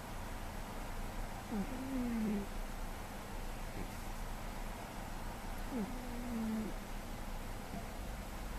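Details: Recorded in May 2013, the deeply sleeping male cat GhostCat gives two matching whistled snores roughly four seconds apart, each a quick upward squeak then a flat nasal tone, over low steady breathing noise.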